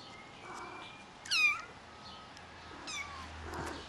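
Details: Rare white Highland Lynx hybrid kitten giving a single short, rising-then-falling mew, followed a second and a half later by a fainter second mew against a quiet background hiss.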